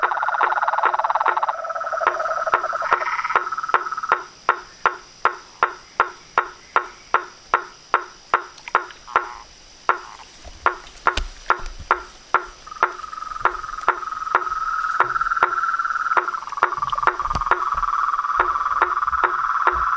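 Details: Toads, frogs and treefrogs calling at dusk from a reservoir pond in front of a house veranda: sharp wooden knocks about two and a half per second over a buzzing trilled chorus that drops away midway, leaving the knocks alone before the chorus resumes.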